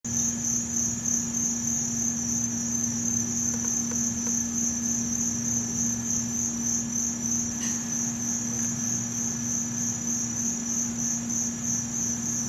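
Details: A field cricket in Montgomery Village, Maryland, in August 2012 gives a high, shrill, steady stream of rapid chirps over a low electrical hum.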